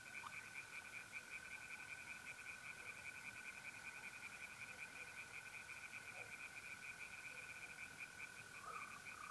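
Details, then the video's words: Singing tree frogs in a north-east Italian pond on a mid-April night: a dense, fast train of pulsed croaks from several callers, backed by the continuous buzzing trill of mole crickets. "relaxing singing tree frogs in pond"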